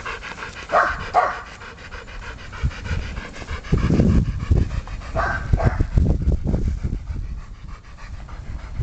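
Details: During ball play, 10-week-old Aubrey von der Stark pants in quick breathy bursts, while dull thumps and rustling from the play rise in the middle and keep going to the end.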